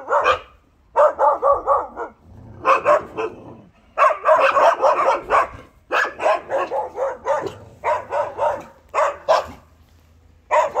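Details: Young Bernese Mountain Dog Josef, born 17 October 2020, practising his first barks: repeated bursts of quick, rough, high yaps, three to six per run, about four per second, with short gaps between runs.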